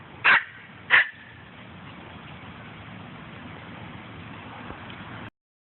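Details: Poodle giving two short, sharp barks about half a second apart, followed by steady background hiss, while people outdoors talk about a bird in a tree.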